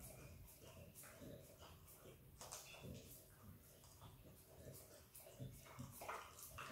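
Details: Izzy, an Australian Kelpie x Border Collie puppy, licks and eats peanut butter indoors; wet, smacking mouth clicks come in quick irregular bursts over a low background rumble.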